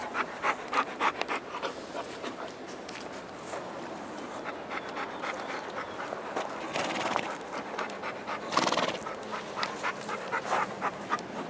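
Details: Rapid, breathy panting from Margot the schnauzer runs through the whole stretch in steady bursts of about four per second, with a couple of louder rustling noises and a faint voice.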